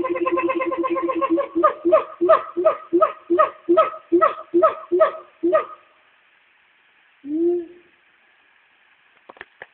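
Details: Two Black Siamangs (Hylobates syndactylus) call to each other from the trees at Nashville Zoo in a rapid series of loud, hooting barks, including a loud "waaaahoooo"; they call for 15-20 minutes around noon daily.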